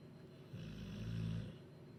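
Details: Duke, a bulldog in Huddersfield, asleep after eating chicken curry, gives a single low, droning snore of about a second with a steady buzzing rattle, then falls quiet.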